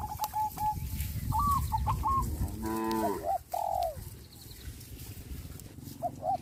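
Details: Cows being herded on a traditional village farm in calm natural surroundings; one deep, harmonic moo lasting under a second midway, surrounded by repeated soft bird coos and chirps and low background rustling.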